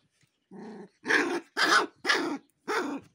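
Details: Aggressive Gaddi dog puppies, a Himalayan sheepdog breed also known as Bhotia: five rough, harsh growling barks, roughly two per second, the first quieter and lower, the rest louder and noisier.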